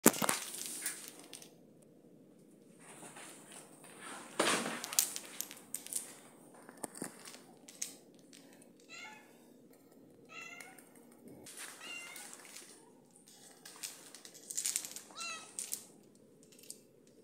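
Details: Joyce, a pet cat, greeting her owner on return while upset, gives several short rising-falling meows in the middle section, between scattered rustling and handling noises indoors.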